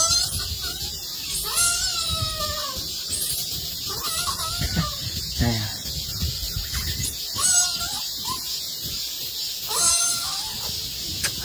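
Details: Golden monkey giving a series of clear, tonal, slightly wavering calls in short bursts roughly every two to three seconds, each with a drawn-out level note, over a steady high hiss and faint low rumble.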